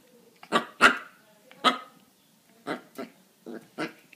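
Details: Puppy letting out a run of short, noisy barks at an uneven pace, some louder and rougher, with a few softer yaps between them.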